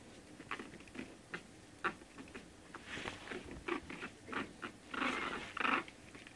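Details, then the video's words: Shih Tzu puppies, one month old, with soft clicks and shuffling first, then two clearer whimpering whines near the end, the last one wavering in pitch. "Shih Tzu puppies"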